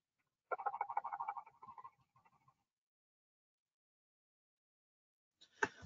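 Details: Silver perch, probably a single male, recorded during a March spawning aggregation, the sound presumably courting females; a rapid burst of low croaking pulses for about two seconds, then silence and a brief sharp noise at the end.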